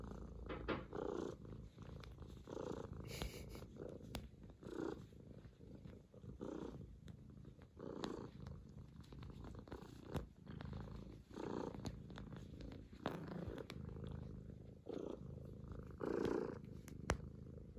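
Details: Kitten Bıdık kneading on a lap to show and receive affection, giving a loud sustained purr; low buzzing rumble pulsing with inhales and exhales, occasional soft taps.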